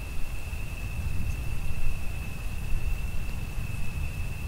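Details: Cricket calling through rain and thunder: one steady, unbroken high-pitched trill holds at a single pitch across the whole stretch, over a heavy, rumbling low wash of rain and thunder.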